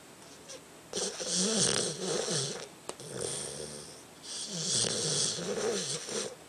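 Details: Sleeping dog named Tucker snores loudly, each breath a rough, vibrating rattle with wavering low tones, two long snore bursts separated by a short quiet gap and a faint click.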